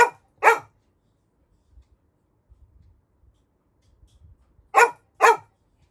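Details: A Labrador retriever puppy barks in two quick pairs of short, sharp barks, about four seconds apart with faint low thumps between, demanding the door be opened after his brother came home.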